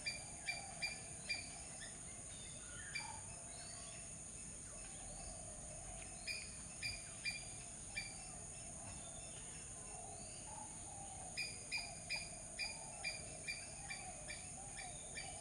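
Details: Squirrel chipping in bursts of rapid sharp notes, about two or three a second, pausing mid-way before resuming, with soft low notes and a steady high insect drone throughout.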